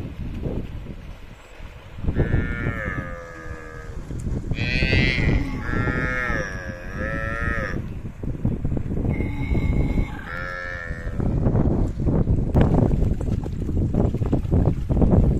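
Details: A herd of cattle going down to the river together; long, drawn-out moos with wavering harmonic tones, several overlapping calls from different animals, over steady rushing water and splashing.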